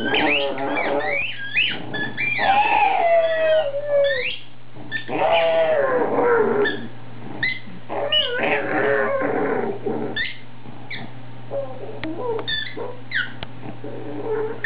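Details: Excited pet pug Foxy Brown, squeaking her toy herself, lets out drawn-out wavering howls that slide downward, mixed with grumbling growls and quick repeated high squeaks from the toy, steady hum beneath.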